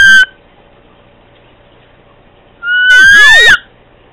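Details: A household cat calling to Candy, with a short clipped cry at the start, then after a pause one long, loud meow that climbs steadily in pitch before cutting off, over a low steady background hum.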